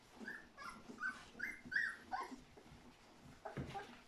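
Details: Golden Retriever puppies, three weeks old, from a litter of fourteen raised by their mother; a quick run of about six high, squeaky whimpers over two seconds, followed by soft rustling and one faint squeak.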